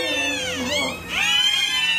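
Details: Six newborn Pembroke Welsh Corgi puppies, delivered by Caesarean section and revived after not crying at first, give thin, high, wavering squeals, like mewing.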